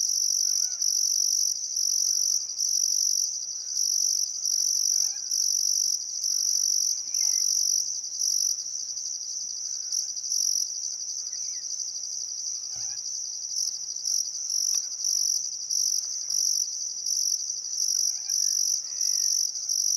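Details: Crickets at sunset on the Barcoo River, Welford National Park, Outback Queensland, Australia, on a still summer afternoon: a steady high-pitched chirping in rhythmic bursts, scattered soft birdcalls and one low thump partway through.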